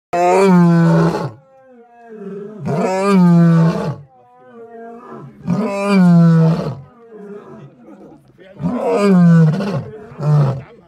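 A lion gives deep, throaty roars in four long bursts, each swelling and then fading.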